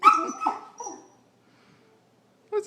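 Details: A 16½-week-old female Vizsla puppy, restless with cabin fever indoors on a rainy Sunday afternoon, gives two sharp, yelping barks in quick succession, then a softer trailing whine. A brief louder sound follows after a short silence.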